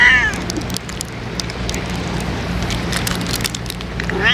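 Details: Ear-tipped stray cats (sakura neko) being fed on a day of strong wind; a short meow opens the recording and another closes it, over steady wind rumble and a constant low hum.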